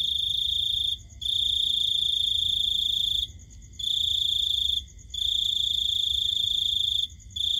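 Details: High, pulsing cricket trill heard at night, delivered in long stretches of about two seconds with short pauses between, against a quiet low hum.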